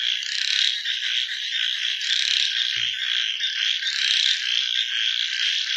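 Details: Frogs heard at night as a continuous high buzzing trill that swells and eases in waves, with one brief low thud near the middle.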